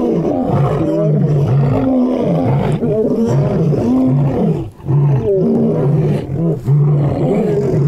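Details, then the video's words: Deep, rhythmic lion roars: a continuous series of low, throaty grunts, each under a second, repeated steadily with a brief lull midway. "Best Lion Roars!"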